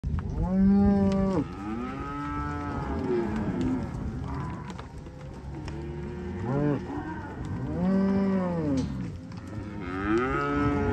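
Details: Black Angus cows, part of a herd of 140 offered for sale; several deep, drawn-out moos overlap, one long low call opening, others answering at varied pitches, a strong one near eight seconds, steady farm murmur behind.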